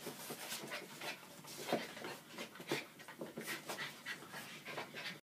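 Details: Bumble and Fimble, a pair of Norwich Terrier puppies, panting in quick, uneven breathy puffs roughly once a second, with a couple of slightly louder huffs in the middle.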